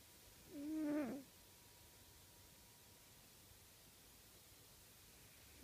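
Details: A single whistling snore from Uncle Stitch, a cat breathing heavily in his sleep in a room corner. One tonal, wheezy breath lasting under a second, followed by quiet with a faint electrical hum.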